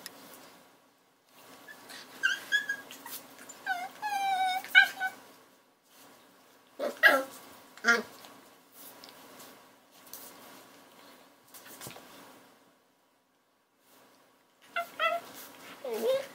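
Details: High, thin whimpers and yips come from a puppy in quick strings, some notes bending upward, broken by sharper yaps around seven and eight seconds and a final flurry of squeaky cries.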